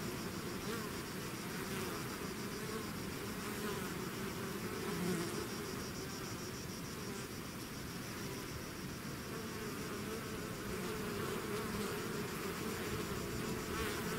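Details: Swarm of bees leaving the hive gives a dense, even buzzing roar of many insects, low hums drifting in pitch, uninterrupted to the end.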